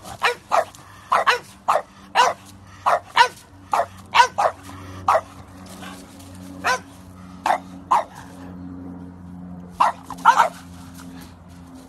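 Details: French Bulldog puppies barking: short, sharp yaps in irregular bursts, roughly twenty in twelve seconds, some doubled, over a low steady hum.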